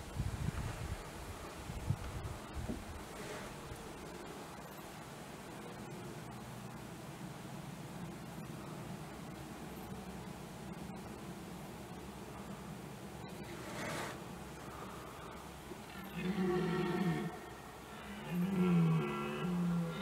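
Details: Red deer stags in the 2021 rut, several bulls with a fight mentioned; steady wind and rustling fill most of the recording before two deep, harmonic roars near the end, each lasting one to two seconds.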